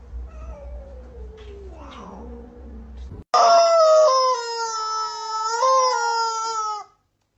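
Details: Domestic cat with a funny voice: low murmuring sounds, then a sudden loud, drawn-out, strongly harmonic meow lasting about three and a half seconds, wavering slightly in pitch before cutting off.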